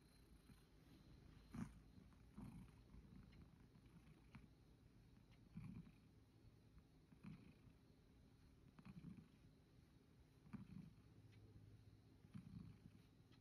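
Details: Satchan, a rescued male cat living at Kazeno Kobo with an elderly woman, kneads on a bed and settles toward sleep while stroked; low, rough pulses swell and fade roughly every one and a half seconds, with faint household noise.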